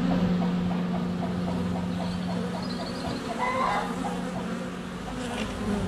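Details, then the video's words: Honey bees in flight at a hive entrance on a sunny February day, recorded with a GoPro Hero 7 Black under a foot away: a steady low hum that swells and fades, with clucking chickens and faint birdsong behind. "Honey Bees - ambient video and audio"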